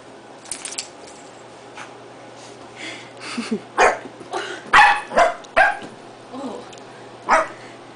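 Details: Corgi and Yorkie at play, one dog giving a string of short sharp barks and yips, clustered irregularly around the middle of the stretch, with a quiet indoor background.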